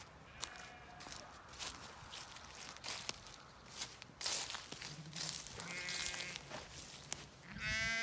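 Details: Zwartbles ewes in an autumn field on a regenerative farm in County Kilkenny, Ireland, one of 18 hoped to be in lamb, coming to check on their keeper: gusty rustling and wind, then a wavering, harmonic bleat and a shorter bleat at the end.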